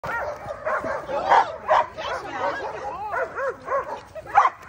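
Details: Nine-month-old German Shepherd practising two-man attack training, giving rapid excited barks in irregular bursts. Several barks bend into whining rising-and-falling arcs, with short gaps between volleys.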